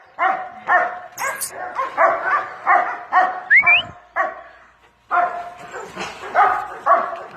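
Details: Pet dog swimming in the bath barks repeatedly in short, evenly spaced bursts, with one quick rising squeak midway and a brief near-silent gap before the barks pick up again.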